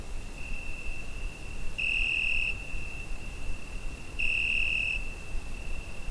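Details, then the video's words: Summer-night crickets captured on a Zoom H5: a steady piercing high tone broken by two stronger ringing pulses, each lasting under a second and spaced about two and a half seconds apart. "Summer Night Cricket Sound Effect"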